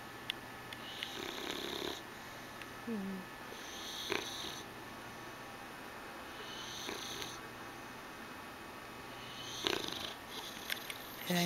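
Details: A female English Bulldog sleeps on a couch with her tongue hanging out and snores in slow, raspy breaths, a rattling snort roughly every three seconds.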